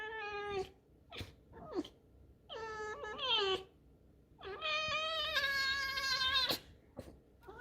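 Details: Pet fox kept indoors, stubbornly refusing to leave its corner, gives drawn-out squeaky whines: a steady tonal cry, then a wavering call, then a longer, louder, strained squeal, with short clicks between the calls in a small room.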